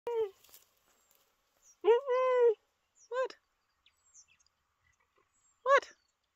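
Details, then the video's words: Captive adult male cheetah on his 14th birthday at a conservation centre, chatty by nature, giving short high chirping yelps with clear harmonics, one drawn-out chirp near two seconds and others spaced a second or more apart. "Cheetah Chat"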